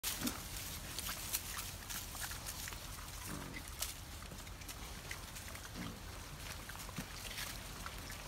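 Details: Wild boars foraging in a forest give short, low grunts now and then over a steady hiss of background noise.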